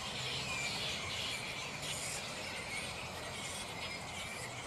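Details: Mid-morning in a black flying fox (Pteropus alecto) roost before the colony settles: many overlapping high, harsh squeals and rapid chattering form a constant wash of sound, with brief louder screeching bursts.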